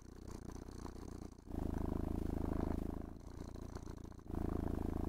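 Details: Pet cat enjoying grooming and petting, purring happily inside a room; deep, continuous vibrating rumble that swells and fades in cycles of roughly one and a half seconds, louder passes alternating with quieter ones.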